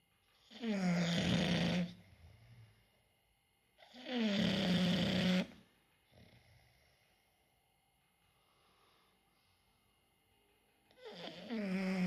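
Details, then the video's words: Snoring English bulldog: long harsh, buzzing inhalation snores of about one and a half seconds, recurring roughly every three seconds with a faint softer snort between, in a quiet indoor room. "English bulldogs snoring"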